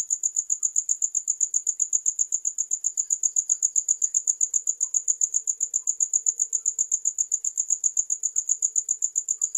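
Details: Crickets chirping in a steady, high-pitched trill of evenly spaced pulses, close to four per second, unbroken for the whole stretch, with only faint low murmurs beneath.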